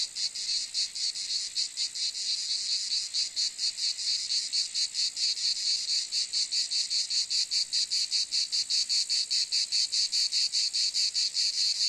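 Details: Buzzy cicada call, a shrill rasp throbbing in rapid pulses that start loosely and grow sharper and more regular as it goes on.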